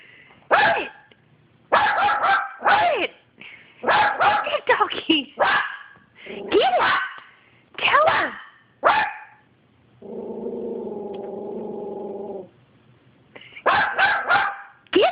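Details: A Yorkshire Terrier barks at another dog it sees, in quick bursts of sharp, high barks and yips, with a steady droning tone midway.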